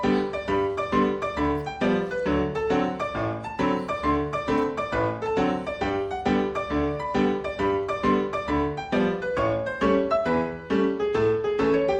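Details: Piano music plays throughout in a steady, repeated pattern of bright keyboard notes, with no animal sound heard.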